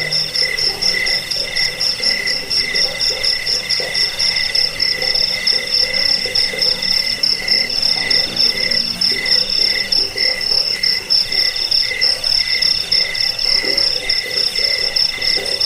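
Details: Long unbroken stretch of cricket trilling used as a rat deterrent, bedtime sound and bird-training track: piercing high pulsed tones with a second lower band, irregular overlapping chirps throughout.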